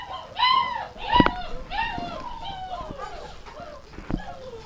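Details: Dogs awaiting gruel at kitchen feeding time, January 20, 2017, give loud, drawn-out whining howls that arch up and fall away, several voices overlapping, with a sharp knock and faint human voices.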